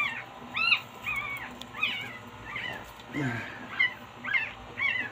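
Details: Chihuahuas feeling the cold while Bugoy has his thick coat trimmed: a string of high, wavering whines that bend up and down, about two each second, with faint human voices between them.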